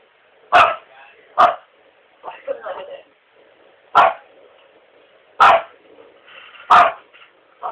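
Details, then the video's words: A pet dog indoors gives five short, punchy barks, two in quick succession and then three spread over a few seconds, while people speak quietly in the background. "the barking dog"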